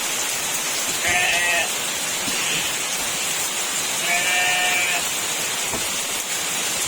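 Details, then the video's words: Goats calling in very heavy rain, two drawn-out wavering bleats about three seconds apart over steady roaring rainfall. "very heavy rain accompanied by the sound of goats"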